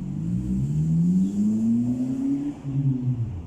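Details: A rumbling vehicle engine revs, its drone sliding steadily upward for over two seconds before easing off.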